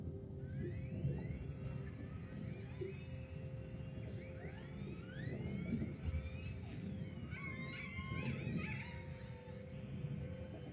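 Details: Killer whales gathered together chatter underwater with overlapping whistles, squeals and rising and falling pulsed calls over a low rumble.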